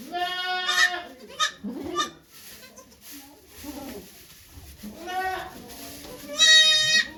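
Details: Bleating at Yoshigake farm, Japan, as the goat Okayu births two kids on 3 May 2023 with volunteers present. Several quavering, harmonic bleats come at the start, near the middle and at the end, separated by soft human voices and rustling.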